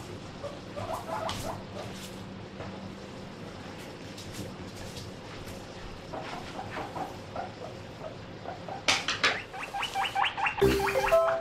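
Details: Household guinea pig of about 1 kg calling loudly to beg while eating grass; quiet munching and rustle give way to bursts of rapid repeated high squeaks, loudest in the final seconds along with a bump.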